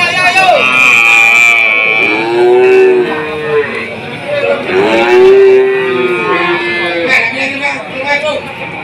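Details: Cattle lowing at a livestock market tagged Jatirogo and Tuban, amid a PMK (foot-and-mouth disease) outbreak and falling prices: two long, rich moos that swell and fall, each lasting over a second, over constant background talk and a passing vehicle.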